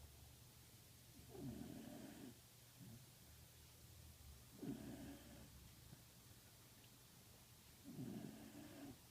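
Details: A Pembroke Welsh corgi snores in slow, raspy, low breaths about every three seconds, recorded on the evening of 22 December 2014.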